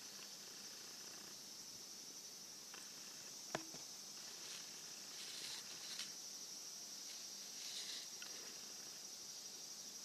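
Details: Cicadas singing while a pet Somali cat stands upright at the sound of cicadas and crows; a steady, high, hissing drone runs throughout, swelling slightly at moments, with a few sharp clicks and taps nearby.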